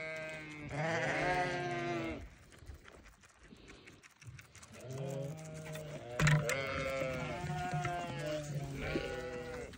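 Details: Newborn lambs in lambing season bleat repeatedly, with four drawn-out, quavering cries of one to two seconds each and short gaps between them. A brief knock or clatter sounds midway through.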